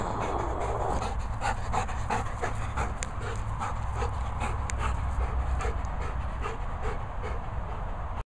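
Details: Labrador retriever puppy at a dog training and boarding kennels in the Worcestershire countryside, panting quickly and steadily during a game of fetch. Short breathy puffs come in an even rhythm over a low background rumble.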